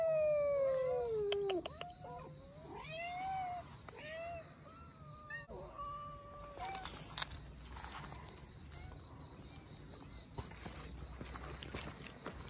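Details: Abandoned Russian Blue cat family, mother and kittens, captured for rescue; a loud opening meow falling in pitch, followed by several arched, rising-then-falling mews at intervals, then clattering and handling noise.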